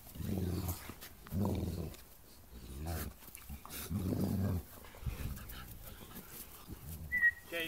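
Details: Two Bernese Mountain Dogs play fighting in a garden while a puppy watches: deep, rumbling growls in repeated bursts of about half a second to a second, with brief pauses, then a short high squeak near the end.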